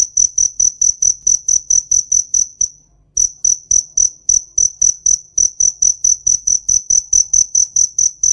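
A cricket chirps in steady, shrill high-pitched pulses, about four each second.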